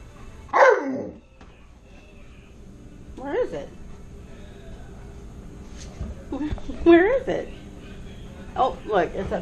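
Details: Tonka, a pet Alaskan Malamute, asks for a share of french toast without being prompted. He gives short wavering woo-woo vocal bursts, each rising and falling in pitch, separated by pauses. Some household sounds can be heard between them.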